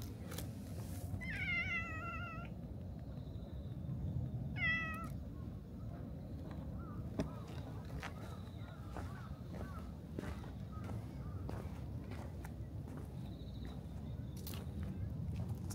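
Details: A cat in a grassy spot, which came out when approached and rubbed against someone's feet. It gives two loud, drawn-out harmonic meows early on, then softer short mews a few seconds later, over a steady low outdoor rumble with occasional clicks.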